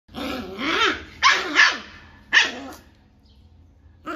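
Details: A 40-day-old Rottweiler puppy, acting aggressive after a bath, gives rough, rising-and-falling growls mixed with short, harsh yaps.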